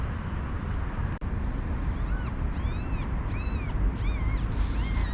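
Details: Newborn one-day-old kittens with their mother, kept in an unprotected cage as cold snowy weather returns, give a run of high, thin, arching mews, repeated in quick bursts over steady rushing background noise.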